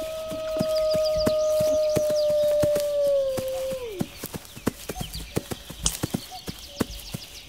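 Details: A single wolf holds one long, level howl for about four seconds, then drops away sharply at the end. Faint higher calls flicker in the background, and a steady pattern of crisp clicks continues after the howl stops.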